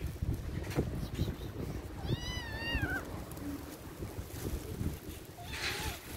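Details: Feral kitten in a backyard garden next to its mother, afraid, lets out one wavering, downward-bending meow midway, followed by a faint short cry amid rustling and low background rumble.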